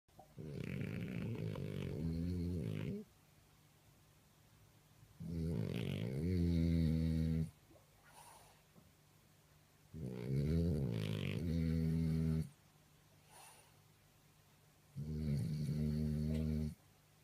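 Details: French Bulldog. A sleeping French Bulldog snores in heavy, low, rattling rumbles, each lasting two to three seconds. The snores come roughly every five seconds, with quiet pauses between them.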